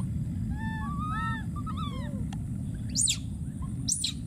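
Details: A young wild monkey keeps calling for a missing friend: a run of quick arched, tonal whimpers, then two sudden piercing screams, with a continuous low roar beneath.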